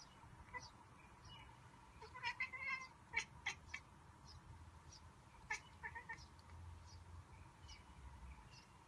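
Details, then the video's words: Pet cat reacting to birds seen through a window with a monkey-like sound: quiet, quick clicking chirps in short bursts, over a faint hum of room noise. "Cute Cat Makes a Sound like a Monkey"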